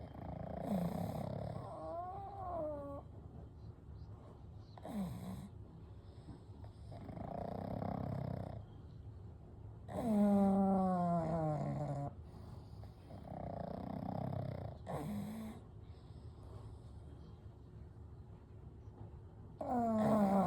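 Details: Gentle snoring from three sleeping pugs, Kou, Gen and Shun, dozing together as usual; repeated rough inhale snores every few seconds, some with whistling, wavering overtones, quiet breathing between.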